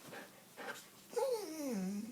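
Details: Sadie the Goldendoodle, missing the owner's sons after two weeks apart, answers questions about the boys with a drawn-out whine that slides steadily downward over about a second, after two brief breathy yips and a woman's voice.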